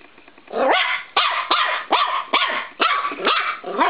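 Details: Norfolk Terrier puppy, 13 weeks old, playfully attacking a spring door stop indoors in a bedroom, gives rapid bursts of high yapping barks, about two per second, each sharp and rising.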